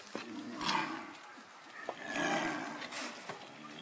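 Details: Snow leopards at Tama Zoo in a post-mating courtship squabble: male Shingis chasing female Mayu. Two harsh, rasping growl bursts, one early and one midway, over a murmur of background noise.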